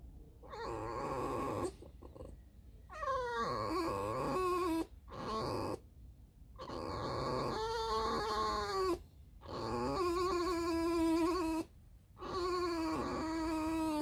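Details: Squeaking fox named Alice, a pet back from a whole night wandering alone and digging holes, now resting: repeated wavering, harmonic whines in bursts of one to three seconds with brief pauses between, some falling at the end.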